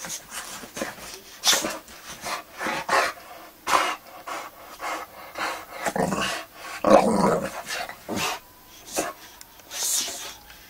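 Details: Magnus, a Boxer dog, going wild on beds and sofas indoors, lets out short rough growly bursts between bouts of scuffling and rustling, with a louder harsher outburst near the middle.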